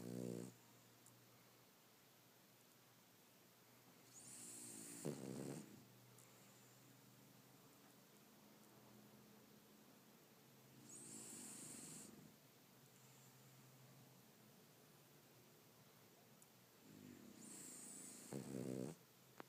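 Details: Sleeping French bulldog snores in a slow cycle, each rattling inhale with a sharp whistling hiss, about every six seconds, then quiet breathing between, indoors.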